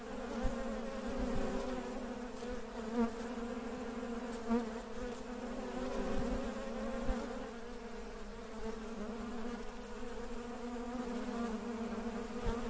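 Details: Working Western honey bees (Apis mellifera) give a steady, droning wing buzz, a low hum with rich overtones that swells and fades slightly.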